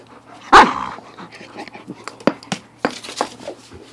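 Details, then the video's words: A husky-wolf mix being given a small watermelon; one sharp, loud bark near the start, then quieter scattered clicks and shuffling, with a man's voice urging the dog to give up the melon. "Husky & His Watermelon"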